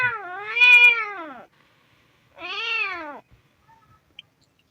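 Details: Two long plaintive meows from a hungry kitten, the first dipping then swelling and falling, the second rising and trailing down, followed by quiet with a faint click.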